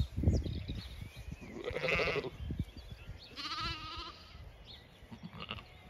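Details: Zwartbles sheep on a County Kilkenny farm in Ireland, flock out grazing in late afternoon; two or three wavering bleats at moderate distance amid soft rustling and chewing, with faint birdsong in the background.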